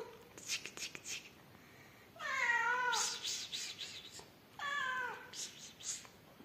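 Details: Yellow mother cat Amarilla, rescued with her newborn kittens: two long, clear meows that rise then fall, the first a drawn-out wavering cry, the second shorter, with rustling and clicking between them.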